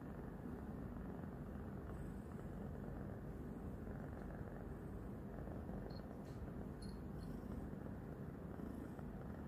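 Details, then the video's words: New female house kitten purring loudly as she licks and nibbles a hand after three days of settling in; an even, deep, continuous rumble with no pauses and faint soft ticks in the background. "THIS CAT LOUD PURRING"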